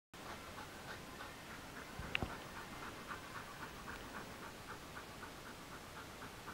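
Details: Mona, a Border Collie, lies panting in a cool living room after a long journey on a hot, sticky summer day; quick, even breathy puffs repeat about four times a second, with one sharp click midway.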